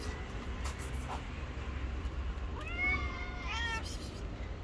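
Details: An angry white cat, not letting anyone come near it, gives a single drawn-out meow that rises then falls, over a steady low rumble of background noise.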